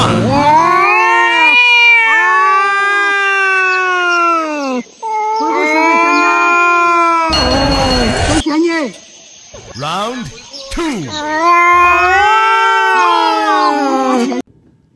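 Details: Domestic cat giving long, drawn-out, harmonic meows, each rising then falling over one to three seconds, four in a row separated by short pauses, with a brief burst of noise and other sounds in the middle.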